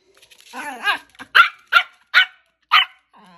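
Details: Pet dog indoors giving a whining, wavering yelp that rises, then four short sharp barks spaced about half a second apart, followed by a faint low voice.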